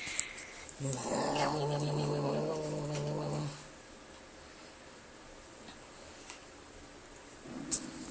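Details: Pixel, a dog, makes a funny sound: one low, steady, droning groan or growl lasting almost three seconds, rich in overtones, then near quiet with faint household noise and a sharp click at the end.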